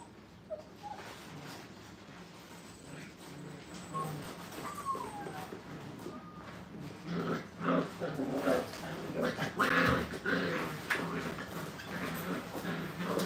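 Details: Five-week-old Brittany puppies in a playpen for the first time, at a training kennel, giving faint, thin whimpers that glide up and down, scattered irregularly over steady background rustling and low indoor noise.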